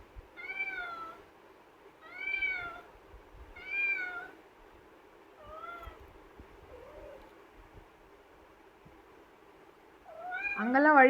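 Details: Pet kitten Pavi kutty, shut in a cage and protesting to be let out, gives a run of rising-then-falling meows about every two seconds, then a louder, strained cry at the end; a person speaks softly between calls.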